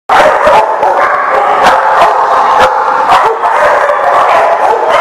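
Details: Dogs barking, recorded on October 13, 2018: a dense, continuous chorus of many overlapping sharp barks and yips with no pauses, loud throughout after a brief silent start.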